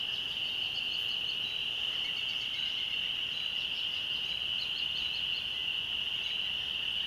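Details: Dusk chorus of spring peepers near a church in the countryside, which appear every year around this time; a continuous piercing drone of massed peeps with scattered faint chirps above.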